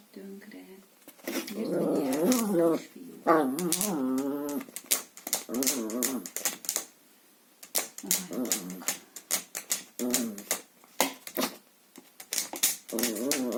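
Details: Playful Chihuahua tussling with a hoover hose inside a small room, giving rising and falling rumbling growls in short bouts, mixed with rapid clattering taps of the hose and brief pauses.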